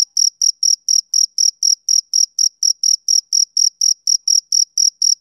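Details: Summer-evening chirping of a male cricket, a regular train of brief, high-pitched, ringing pulses, close to four each second, with nothing else heard.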